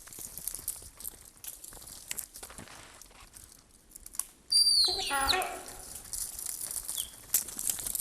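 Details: A deer gives a single sharp, high whistled alarm call that drops steeply in pitch, at night in winter forest near the Russian border where a leopard is active.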